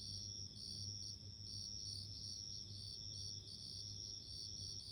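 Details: Ringing, bell-like trills of bell crickets in steady rhythmic bursts, several insects overlapping, low hum in the background.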